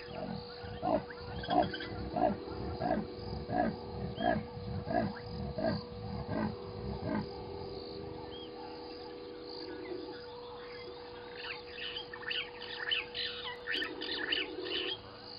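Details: A leopard saws at Gowrie dam waterhole, Djuma Game Reserve, Sabi Sand, South Africa, at 18:33 on 29 October 2020, giving a run of deep, rasping grunts like a saw stroking through wood.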